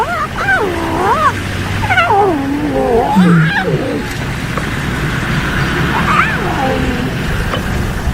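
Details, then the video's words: Hungry lion cubs of the Rongai pride in Kenya's Maasai Mara National Reserve, resting near a zebra kill, giving high, wavering mewing calls that rise and fall in quick succession over a low engine-like hum. "The Little Voices Of Hungry Lion Cubs"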